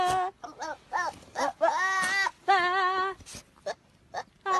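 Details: Baby goat 'talking' in a run of short, nasal bleats. Some are clipped and others are drawn out and wavering, with brief quiet gaps between them and a final bleat at the end.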